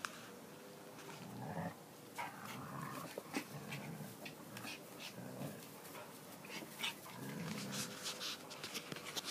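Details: A standard poodle and a toy Manchester terrier playing together: low, rough growls come in short bursts several times, mixed with scuffling, thumps and sharp clicking or tapping noises from the romp.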